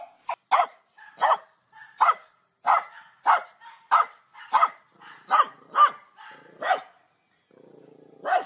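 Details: About fourteen short, punchy dog barks sound roughly every half second in a steady run. A brief pause comes near the end before one last bark, with no other sounds clearly audible.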